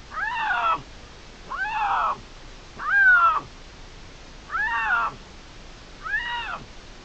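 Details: Dispersing young male Iberian lynx, Cerro Escribano, Spain, June 2023, calling during a territorial dispute between two males; five harmonic-rich mewing calls, each under a second, spaced about every 1.5 seconds over a quiet background.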